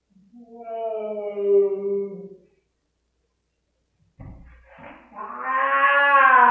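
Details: Demonic-sounding wails from Rosetta, a cat distressed by an anti-flea pipette: one steady low yowl, silence, a soft knock, then a louder, rising and intensifying howl that swells to the end.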